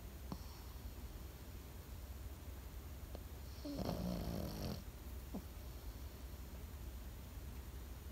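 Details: One rasping snore from a Pekingese dog asleep sits midway through the clip. Faint soft clicks come before and after it, all over a low steady hum.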